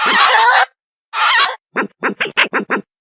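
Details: Badger calling: two harsh, rasping screeches of about half a second each, then a fast run of six short, clipped yelps close together; no background sounds.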